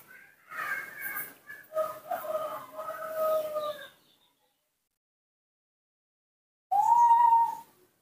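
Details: Hand-reared newborn monkey begging for milk. A wavering, whining series of harmonic cries lasts about three seconds, then silence, then a single loud whistled coo that rises and levels off.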